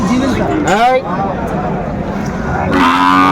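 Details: Sahiwal cattle lowing at Aftabganj cattle market in Chattogram, Bangladesh, on Saturday 7 December 2024, where a Sahiwal bull calf is being bought; low harmonic moos open and close the clip, with a man talking over the middle.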